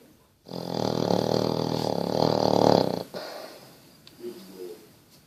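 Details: Bertie the Basset Hound asleep and snoring: one long, deep, rattling snore lasting about two and a half seconds, followed by softer wheezy breathing in a quiet indoor room.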